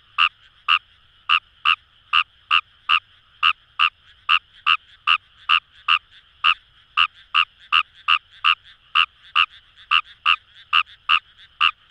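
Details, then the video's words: Fejervarya kawamurai in rice paddies by the Kamo River in Itoshima, Fukuoka, Japan, giving a long unbroken series of sharp clicking croaks, roughly two to three per second, with a continuous frog chorus humming behind. "Wild Frog Call | ヌマガエル"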